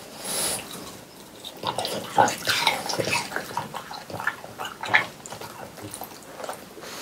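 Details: French Bulldogs eat watermelon on a hot summer day, chomping wet, juicy mouthfuls with crisp crunches and slurps in quick bursts.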